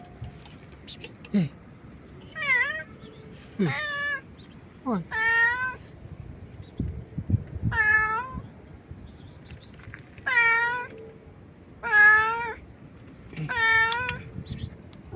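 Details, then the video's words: Stray cat meowing loudly and nonstop; a series of drawn-out, strongly harmonic meows repeated every one to two seconds, some rising then falling, with a person calling "hey" in the background. "A stray cat meows loudly and nonstop"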